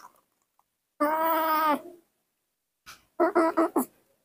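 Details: Baby monkey Mobi, a spoiled pet, screaming for milk in the morning indoors. A sustained, strongly harmonic wail lasts nearly a second. After a pause come three short, pulsed cries in quick succession.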